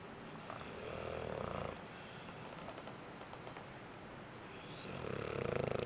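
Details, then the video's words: Bentley, a dog napping after a rough day, snores indoors: two drawn-out, rumbling breaths about four seconds apart, with a quiet room hiss between them. "Snoring Bentley"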